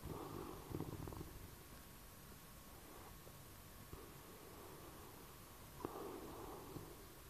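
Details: Sleeping bloodhound snoring: low, rough, rattling breaths, one at the start, a faint one near three seconds and another around six seconds, over a steady background hiss.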